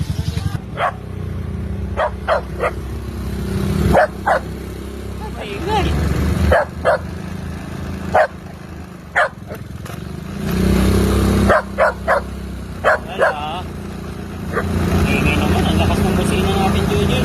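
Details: Dogs barking on a noisy road in the Philippines, short sharp barks repeated irregularly over a constant low engine rumble, with a car horn and Tagalog speech between them.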